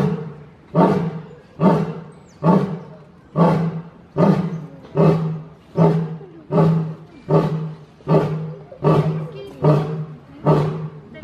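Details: Lion roaring in a long, steady series of deep, throaty grunts, each swelling then fading, about one every 0.8 seconds across the whole stretch, with no other clear sounds.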